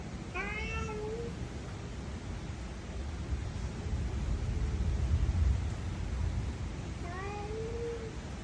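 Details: Domestic cat, one of three kept as pets, meowing twice: a rising-then-falling meow at the start and another about seven seconds later, separated by a quiet stretch with low rumbling background noise.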